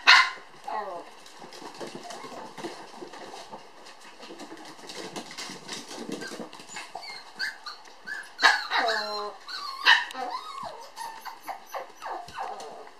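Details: A pair of toy poodle puppy sisters born July 9 romp at a breeder's. An opening yelp, scattered rustling and muffled squeaks, then a cluster of loud, ringing yips with clear overtones in the closing seconds.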